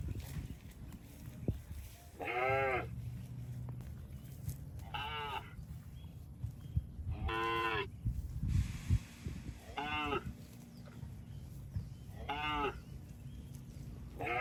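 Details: Cattle walking through water in a rice field, calling in short, wavering bursts roughly every two and a half seconds, six calls in all, against a continuous low rumbling background.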